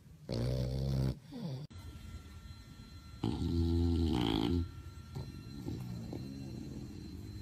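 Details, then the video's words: Snoring competition entrant, a sleeping bulldog at My Second Home, Dubai, October 2015: two loud buzzing, rattling snores roughly three seconds apart, trailed by quieter snuffling breaths. "Bull Dogs Snoring competition"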